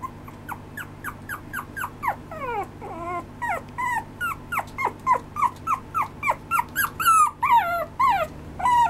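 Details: A small Maltese–Shih Tzu mix dog whines in quick, high, sliding notes, about two every second.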